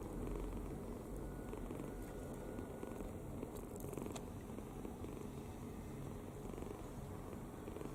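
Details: Kitten snoring in sound sleep with its mouth open; steady low grumbling drone throughout, with a couple of faint clicks midway.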